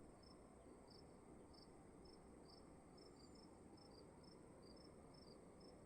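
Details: Crickets heard in a room, sparse high chirps spaced about half a second apart, two slightly different pitches alternating, set against a faint steady background rumble.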